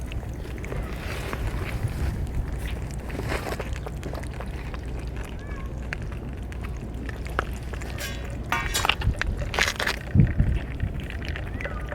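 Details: Low outdoor rumble with scattered knocks, rustles and faint voices; no animal calls.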